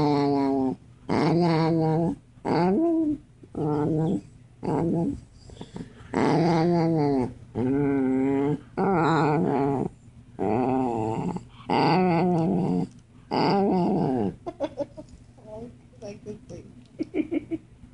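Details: Indoor dog: a run of drawn-out groaning growls and whines, each lasting about a second, repeated roughly every one to two seconds, rising and falling in pitch, ending in shorter broken whimpers.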